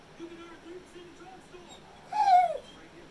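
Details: Zeusy, a male 'talking' Pit Bull, complains in the morning after already going out. Several soft, short, low whimpers come first, then a louder, higher whine that lifts briefly and slides downward.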